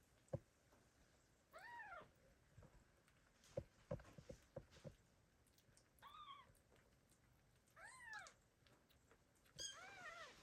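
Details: Abandoned kittens meowing loudly, calling for their mother cat; several short arched meows spaced a few seconds apart, fairly faint, with knocks and thumps between them.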